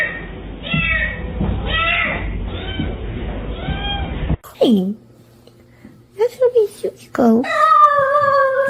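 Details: House cat in a funny-cat compilation. Repeated meows with rising and falling tones sound over a muffled room background, followed by short, sharp mews and a longer, steady meow after a scene change.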